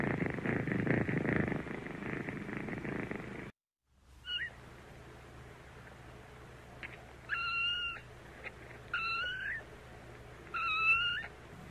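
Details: Kittens: a few seconds of loud low purring, a short silence, then three short high mews spaced about two seconds apart over a faint steady hum.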